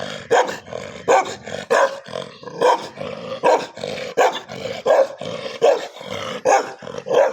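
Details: Pet dogs fighting each other: harsh, roaring growls and snarling barks in loud bursts, about one every second, with rough, noisy tone and no quiet gaps between outbursts.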